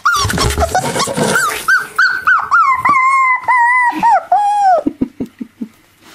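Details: Playing with mum, five-week-old miniature labradoodle pups let out a rough growly scuffle, then long steady whines and falling yelps, ending in a string of short low grunts.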